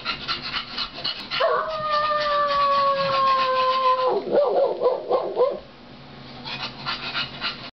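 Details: Bulldog puppies: after brief scuffling, one long level howl held nearly three seconds and sliding slightly lower, then a burst of quick rising-falling yips before it quiets to faint rustling.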